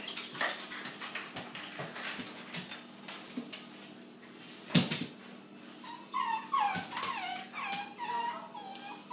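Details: Bailey, a pet dog, indoors in a small room, straining to retrieve his favourite ball: scratching and shuffling for several seconds, then a run of thin, high, wavering whimpers with bending pitch over the final three seconds.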